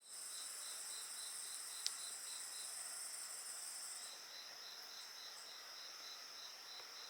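A steady chorus of high, shrill insect trills, with a pulsed chirping layer and an occasional fire crackle.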